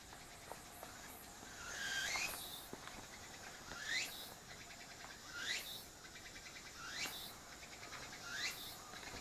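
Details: Cicada song recorded on an apeman A80 camera while a mixed-breed dog named Shiro listens intently: rising whistled sweeps repeat about every one and a half seconds, with rapid pulsed rattles between them over a faint hiss.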